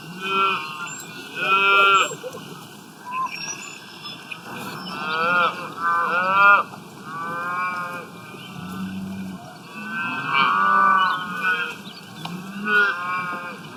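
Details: Several cows grazing in the wild moo repeatedly, with short, falling, overlapping calls from more than one animal every few seconds, plus low grunts, across a busy stretch of lowing.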